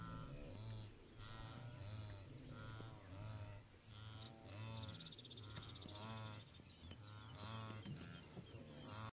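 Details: Wildebeest in the Serengeti: nasal, honking grunts with stacked harmonics, repeated about once a second, several voices overlapping into a steady chorus over a low background rumble.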